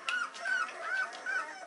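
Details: Two-week-old Weimaraner pups in their whelping box, with four short, thin squeaks at an even pitch in under two seconds.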